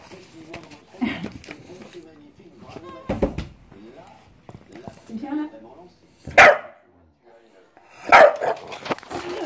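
An English bulldog lets out two loud, rough barks amid a person's talking indoors.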